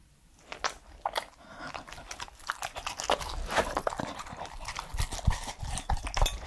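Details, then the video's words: Three-year-old Pembroke Welsh Corgi named Edmundo eating indoors, irregular crunching and biting snaps about three per second, growing louder toward the end, close and dry in a small room. "MY CORGI DOG'S FIRST ASMR ✨scratching, mouth sounds and eating sounds"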